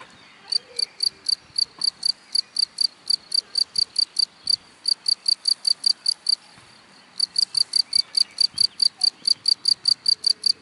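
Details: Cricket singing in grass, loud, high, pulsed chirps in a steady rhythm, broken by a pause of about a second midway before the chirping resumes.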